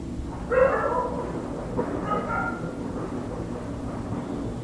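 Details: Dogs barking at night, heard through an open window from an indoor room: one strong bark, then softer, more muffled barks trailing off, with low steady background hum.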